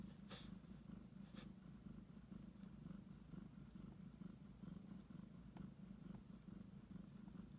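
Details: A heavily pregnant domestic cat close to giving birth purrs strongly and kneads the air, a deep, unbroken buzzing rumble pulsing gently with each breath; a couple of faint clicks near the start.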